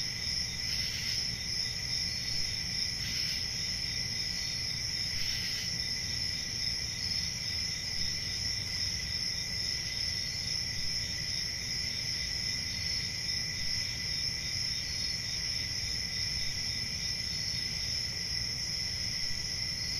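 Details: A peaceful summer night in the country filled with crickets' constant high trilling, three brief louder chirp bursts in the first six seconds, then an even shrill drone over soft low rumble.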